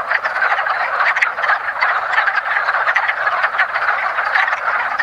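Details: Spring mating chorus of wood frogs at a woodland pond: thick, constant chuckling croaks from numerous frogs, with sharper individual clucks popping out above the mass.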